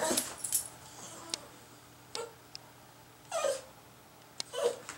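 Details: Dog named Sushi whimpering in a garage while waiting to clean up leftover cat food: a few short, sliding whines, two clear pleading cries near the end, separated by soft clicks and shuffling.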